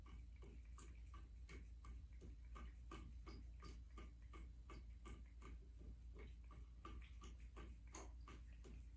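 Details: Midnight, a black American Shorthair cat, drinks from the running bathtub faucet indoors on January 21, 2023; quick rhythmic lapping ticks repeat about three times a second over a steady low hum of flowing water.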